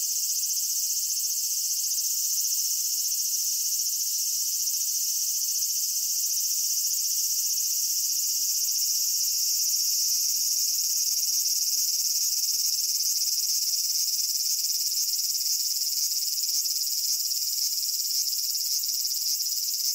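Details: Cicada in Japan droning steadily for twenty seconds, a high-pitched sizzling whine with faint rapid pulsing appearing toward the end, level and unbroken.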